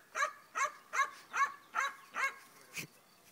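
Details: Black German Shepherd at tracking training barking in a steady rhythm: six clear barks about two-fifths of a second apart, then a final softer, breathier bark.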